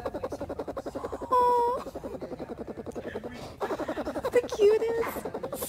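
A bear cub purrs in a fast, steady, throaty pulsing, broken by brief whiny tones.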